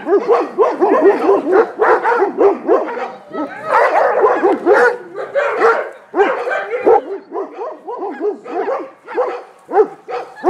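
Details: An untrained Komondor in a personal-protection test, recorded in 2014 in Gyömöre, Hungary, barks hard and fast, deep harsh barks tumbling over one another without pause.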